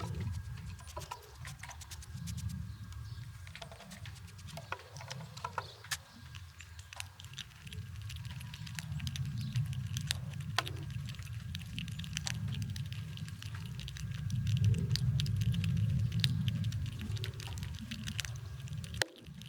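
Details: Wild squirrels in winter crunching nuts, a steady run of sharp crackling clicks, about three a second, over a low rumbling background.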